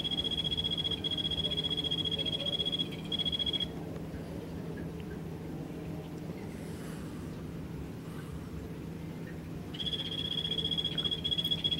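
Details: Golfodulcean poison frog (Phyllobates vittatus), captive at Poznań's Old Zoo in the newly opened part of its cold-blooded animals pavilion, giving a rapid high buzzing trill of even pulses, two bouts of several seconds, over a steady low hum.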